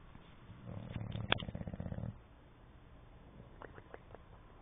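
An English Bulldog snores with a deep, fluttering rumble as its loose lips flap through one long breath.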